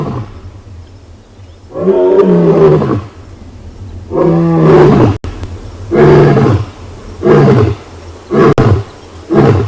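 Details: A huge male lion roars on a morning safari in a South African private game reserve, in deep moaning bursts that grow shorter; guinea fowl cackle alarm calls and fly off just before.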